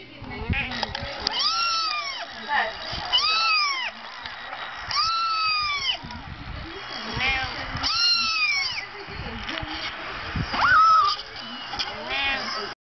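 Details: Nikki, a female Persian cat acting motherly toward a laptop she keeps crawling under, meows about five times at roughly two-second intervals, each call arching up and down, with a constant background hum throughout.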